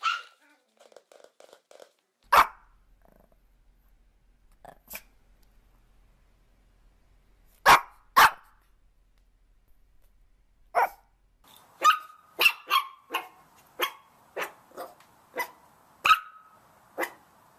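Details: Puppies barking: sharp, very short yaps scattered across the first half, then a quicker run of yelps with a few held, higher squeaky notes near the end. Long quiet gaps fall between the early barks.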